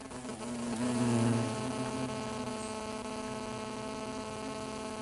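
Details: Hornets at a nest built through a tarp on a woodpile make a steady, low droning buzz with a rich humming tone; the hornets are very agitated.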